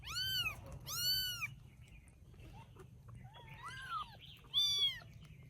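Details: Rescued baby kittens in Vietnam, settling to sleep after eating: a few high arched meows, some clipped and overlapping, with quieter wavering mews between and a low steady hum underneath.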